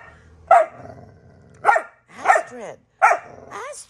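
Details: Dogs Astrid and Brielle horsing around in rough play; four sharp, loud barks or snarling yelps spaced roughly a second apart, with falling harmonic tails.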